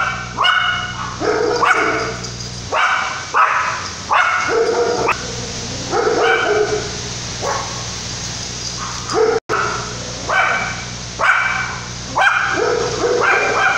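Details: A Yorkshire Terrier puppy gives repeated high, sharp barks over steady wind and rain during Tropical Storm Lidia, 2017, in La Paz, Baja California Sur, Mexico.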